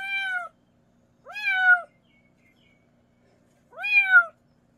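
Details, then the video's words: Young mountain-village kitten, meows meant to repel rural rats: three clear, arched meows, each about half a second long, separated by short silences in a quiet setting. "고양이 울음소리 ASMR 시골쥐 퇴치용 효과"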